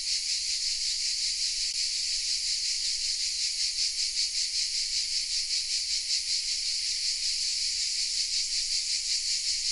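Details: Chorus of cicadas hidden in oak trees of a small village, Vézénobres, in the south of France, recorded with a camera: a dense, continuous buzzing hiss, steady and high, pulsing slightly about two or three times per second throughout.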